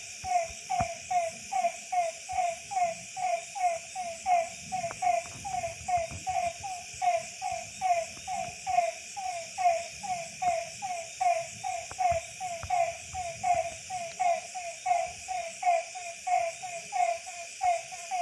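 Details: At night after rain in a village in December, frogs call in a steady chorus of short, hollow notes repeated more than once a second, with insects buzzing behind.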